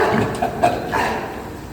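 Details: Pig on a farm during the morning check, giving a short, loud, rough burst of grunting noise that lasts under two seconds and fades toward the end.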